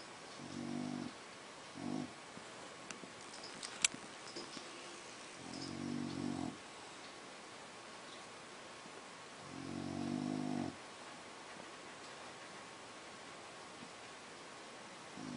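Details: A male French Bulldog sleeping and relaxing on his polka-dot blanket snores in low, rasping bursts about every four seconds.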